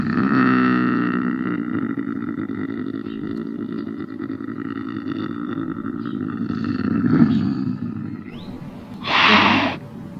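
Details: A lynx's rough, harmonic moan continues steadily and gradually fades. Near the end a short, sharper and louder burst breaks through.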